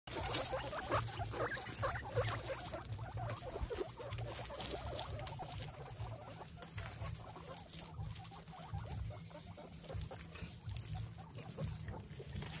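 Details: Several excited guinea pigs making noises: a steady low rumbling hum under dense, irregular patter-like clicks and squeaks, about one burst per second, with no other clear sounds.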